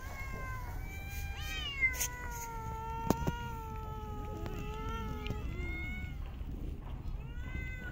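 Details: Park street cats being fed, with long level meows holding steady for a second or more, several voices overlapping, and a few sharp knocks against low background hum.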